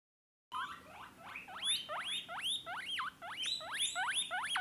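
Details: Baby Peruvian guinea pig screaming on hearing guinea pig sounds: loud, repeated sharp whistles that rise steeply then drop, about three per second, in a steady run.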